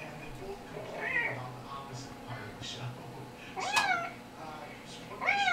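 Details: A kitten's recorded meows are played to household cats indoors. There are three clear, high, arched meows that rise and then fall, spaced irregularly. Fainter mews and a low steady hum sit underneath.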